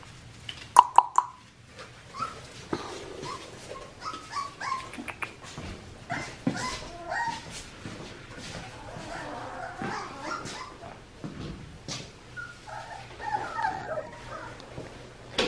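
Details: Four-week-old red merle male Australian Shepherd puppy, son of Magnolia and Grady, at Fifteen Acre Farms in Oklahoma on November 15, 2019, giving scattered short whimpers and yips amid clicks, knocks, a low hum and a person talking.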